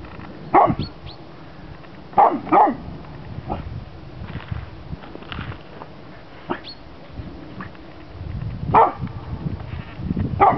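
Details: Male chocolate Labrador at age two outdoors in snow, barking at a red pizza box he had not yet recognised; sharp barks, often in pairs, separated by pauses of one to several seconds, with faint low rumble between.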